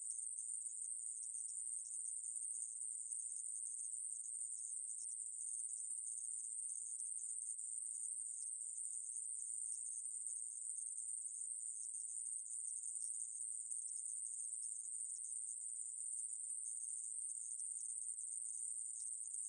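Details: Conehead katydid (애매부리) from a 2020 National Institute of Biological Resources recording, producing an unbroken, very high, hissing buzz that holds steady for the whole stretch with only slight flickers; no other sounds.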